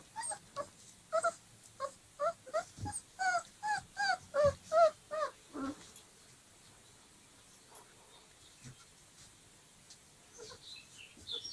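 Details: Dogo Argentino puppies, 25 days old, whimpering: a quick run of about a dozen short, high, whiny yelps over six seconds, then near quiet with a few faint scattered squeaks.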